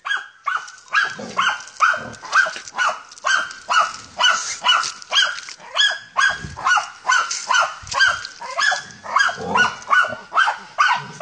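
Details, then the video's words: Rapid, steady barking from a German Hunting Terrier working a wild boar, around two barks a second for over ten seconds, each bark bright and ringing with strong overtones, the pace hardly breaking. "Deutscher Jagdterrier Ata von Jagdwald(wild boar)"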